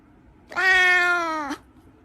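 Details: Cat from a cats and kittens compilation giving a single drawn-out meow of about one second, steady and harmonically rich, dropping slightly at the end, with a quiet background.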